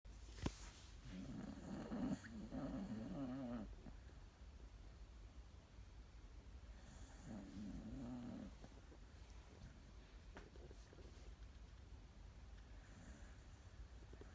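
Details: Sleeping dog snoring; low rumbling snores lasting about two seconds, a strong one early and a second one midway, with faint hiss between them and a brief noise at the start.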